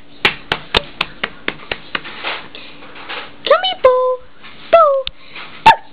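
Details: Bo, a blue and white female whippet puppy only eight weeks old, heard first as a steady series of sharp taps, then a few bent, squeaky whines and one brief yip near the end.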